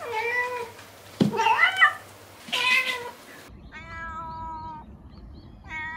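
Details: Domestic cat meows for attracting cats: a first stretch of three strained, rough meows with a sharp knock between, then after a cut cleaner flat-toned meows in quick succession.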